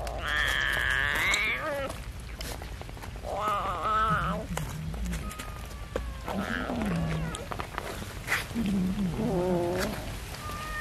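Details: Cats and kittens eating rice with fish give a run of five separate meows about two seconds apart, some high and drawn out, others lower and shorter, with soft clicks and clatter between them.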